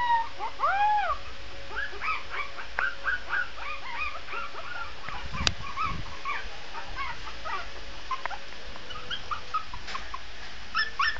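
A Shih Tzu puppy gives thin, high, wavering howls broken into quick whimpering yelps.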